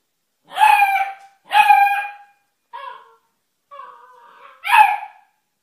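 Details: Puppies yapping indoors: sharp high yelps, a shorter soft whine, then a drawn-out whimper before a final bright yelp, all with strong ringing harmonics and clear silence between calls.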